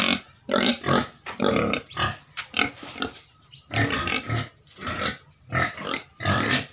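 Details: Caged pigs kept for income give rapid, harsh squealing grunts in quick bursts, roughly two per second, broadband and noisy, with brief gaps between rounds.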